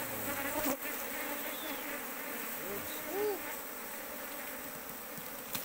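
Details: A large wild colony of Asian honey bees found in an oil palm plantation: a dense, steady buzzing hum fills the clip, with a few faint, brief tonal wavers of passing bees and a short thump near the start.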